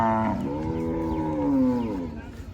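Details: Cattle at a village cattle and goat market held on the Dhanpati Khola primary school ground; one long, low, drawn-out moo that sags in pitch toward its end, with a man talking over it and crowd murmur.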